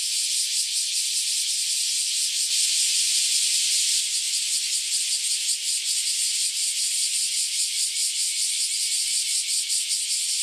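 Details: Loud chorus of cicadas freshly emerged after roughly a decade underground, calling together before taking flight; continuous high shrill buzz with fast rhythmic pulsing, steady throughout, nothing else audible.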